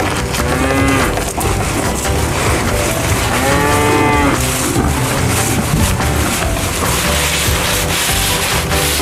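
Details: Cattle lowing: a brief moo early on, then a longer, fuller bellow with a rising-then-falling pitch. Heard over a constant loud, windy, noisy background.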